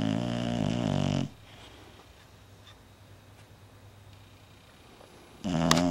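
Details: Sleeping Bulldog snoring indoors in a small room: a loud, low, buzzy snore of about a second at the start, near silence, then another snore rising at the end.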